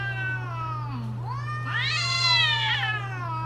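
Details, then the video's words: Cats wailing during the mating season: long, harmonic-rich yowls that slide down and then sweep upward into a loud, rising and falling wail, over a steady low electrical hum. "creepy Cats Talking"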